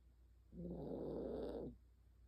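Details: Sleeping senior Maltese dog giving a single drawn-out, grating snore of about one second, rough and buzzy, set against a quiet indoor background.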